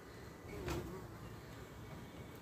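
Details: Honey bees from a swarm caught on 14 May and housed in a straw skep, a week later during a smoked inspection of their new white wax combs; a steady low hum with one bee buzzing close past midway.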